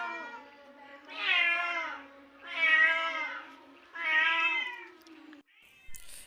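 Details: Kittens crying in a recording played to a cat outdoors: three long, drawn-out harmonic mews about a second and a half apart, each swelling and then fading, followed by a brief noisy click.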